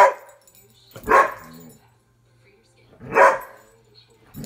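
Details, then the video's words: A playful Airedale Terrier gives two loud, harsh barks about two seconds apart, with quiet pauses between. "Airedale barking having fun"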